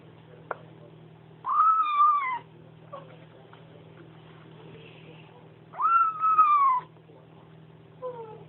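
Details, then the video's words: While sharing food with its mother, a new Bengal kitten gives two long nasal mews about four seconds apart, each wavering then sliding downward, plus a short faint squeak at the end; low steady hum beneath. "Kitten who makes nomming noises"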